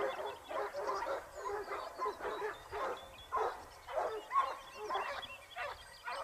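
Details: Pack of Basset Hounds from Topsfield Lebrera hunting in Spain in 2015-16, their second year: loud pulsing bursts of baying and yelping from multiple hounds, about twice a second, with faint bird notes in the background.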